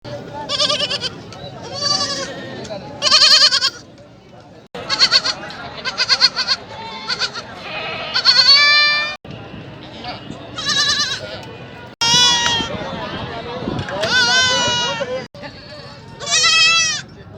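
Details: Young goats at a market awaiting sale, perhaps hungry or calling for their mothers: many overlapping quavering bleats, some high and strained, in rapid cut-together bursts, with voices of people underneath.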